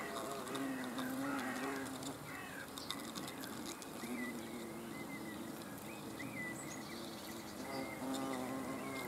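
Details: Hornets observed on 30 June 2020: a steady low buzz with stacked harmonics, its pitch wavering and briefly rising, over busy background noise with faint high chirps.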